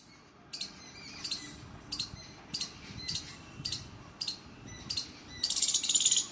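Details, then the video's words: A squirrel on trees gives sharp, high chirps, repeated about every two-thirds of a second. Squirrel. "Squirrel chirping sound out loud on trees - কাঠবিড়ালী'র ডাক"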